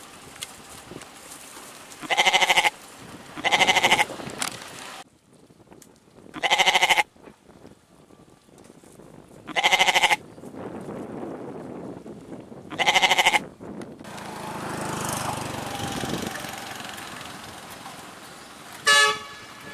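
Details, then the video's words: Goat giving five strong, quavering bleats spread over the first thirteen seconds, each lasting under a second, over steady background hiss, then rumbling noise and one short final bleat. "Goat | Con Dê | 염소 | Ziege"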